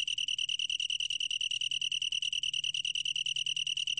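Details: Steady pulsed song of a long-tailed tree cricket: a pure, ringing tone broken into rapid even beats, about ten per second, with no pauses and a soft low background hum.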